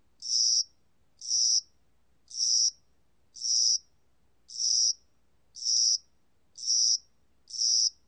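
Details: Spring-summer cricket song recorded in Korea: a steady series of eight shrill, buzzy chirps, roughly one per second, each lasting under half a second, with silence between.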